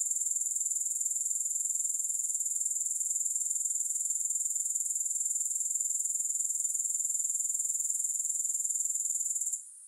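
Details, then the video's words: Grasshoppers chirring in a steady, shrill high-pitched trill that pulses about four times per second without a break, fading away only in the final moment; no music or other sounds. "3 Hours of Grass Hopper Sounds"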